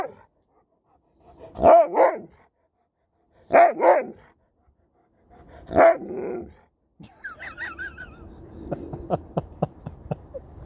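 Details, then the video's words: Sherpa, an Alaskan Malamute, talking back: three loud howled, bark-like vocal bursts about two seconds apart, each with wavering harmonics, followed by softer whining and a string of short clicks or taps. "Dog won't let me Finish a Sentence without Talking Back!"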